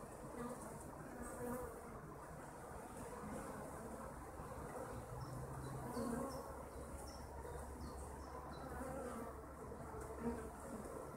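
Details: Kept honeybees droning in a steady, low, continuous hum that swells slightly midway, with faint high chirps scattered in the background.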